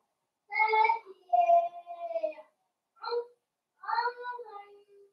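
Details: Blenheim Cavalier King Charles Spaniel puppies, a New Year's litter of five, at play with their mother Paris indoors; loud, drawn-out whining yelps with clear overtones, four bursts of rising and falling whines separated by short pauses.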